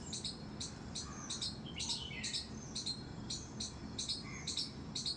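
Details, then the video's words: High, sharp squeaks from a squirrel in a garden terrace, repeated about twice per second with slight irregularity. A few lower, slurred bird chirps and steady low background noise accompany them. "squirrel's squeak squeak sound"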